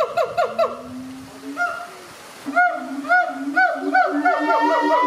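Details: Captive siamangs at ZooTampa, Tampa, Florida, mother, father and baby, in a bonding duet: a quick cluster of barks, a long low boom, then barks repeated about every half second over deep booming notes.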